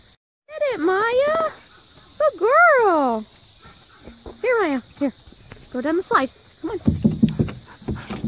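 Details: Maya, a pet Siberian husky, vocalizes to Jo, an Australian cattle dog, telling her to get off a play set and come play. Several long, wavering, yodel-like howls rise and fall, then shorter bursts and scuffling, over a steady high hiss.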